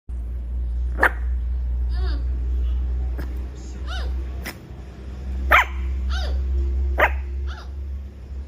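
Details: Tiny puppy giving a few short, high yappy barks spaced a second or more apart, some with squeaky whining notes between, over a steady low hum.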